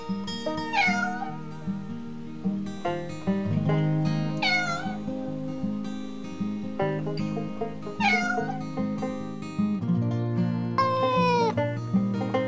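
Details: Farm cats and kittens uttering short, sharply falling meows about every three to four seconds, ending in a longer drawn cry, partly masked by rhythmic plucked background music.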